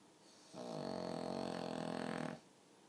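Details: Single drawn-out snore from a sleeping pug, almost human in character: one rough, buzzing inhalation lasting nearly two seconds in a quiet room.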